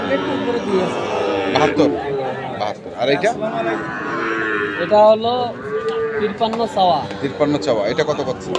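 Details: At Ambari market in Dinajpur on 6 November 2023, Sahiwal bull calves call with a run of low, harmonic moos, some rising and bending, over a background of crowd chatter.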